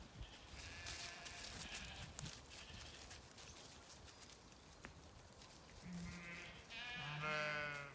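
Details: A Zwartbles ewe in a County Kilkenny, Ireland pasture on an autumnal day, one of 18 ewes coming to check on the farmer walking the field. Windy rustling gives way to one loud, deep, drawn-out quavering bleat near the end.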